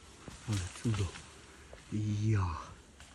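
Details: Red deer stag with a forked tine on its antlers: two short, deep grunting bursts followed by a longer, drawn-out low groaning roar, with quiet outdoor background between calls.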